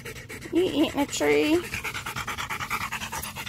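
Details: Rottweiler named Macho panting during a game of fetch: after a brief burst of human speech, steady rapid breathy pulses repeat about four times a second until the end.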